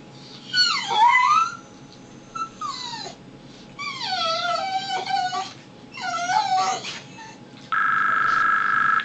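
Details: Pet dog Brutus crying indoors at home, a series of short whimpering whines, each sliding down in pitch, four bursts in a few seconds, followed by a steady, even high tone at the end.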